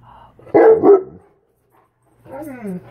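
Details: Tonka, an Alaskan Malamute, answers a Sasquatch recording with a sharp double bark, falls silent, then gives a drawn-out, downward-curving whine; indoor room with a low steady hum.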